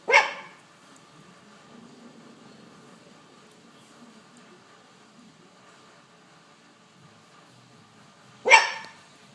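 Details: Young poodle giving two single sharp barks, one at the start and one near the end, separated by a long stretch of faint background hiss.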